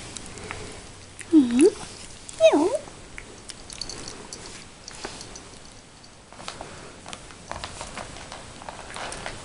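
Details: An 11-week-old Yorkshire Terrier puppy gives two quick, high whines that dip and then rise again.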